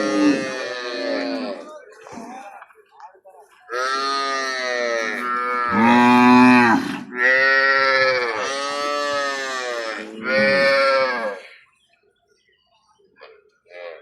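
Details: Cows at a cattle market: a run of about six loud, drawn-out, harmonic moos, each lasting one to two seconds and following closely one after another, then fading to quiet, with human voices nearby.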